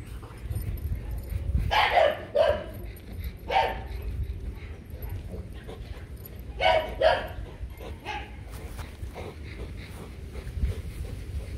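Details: Rottweiler pair Loki and Siro mating, falling over repeatedly before the breeding is done. Scattered, harsh, broad yelping bursts arrive in pairs around two and seven seconds, over a low rumbling background.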